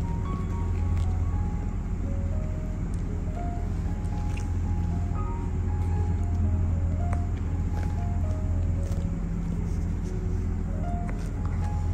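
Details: Loud low rumble with a simple music melody on top, no animal voice.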